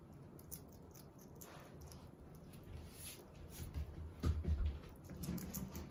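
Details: Pet hedgehog kept indoors in Japan while eating, giving soft scattered crunching and chewing clicks that grow louder in clustered bursts toward the end, over a low steady room hum.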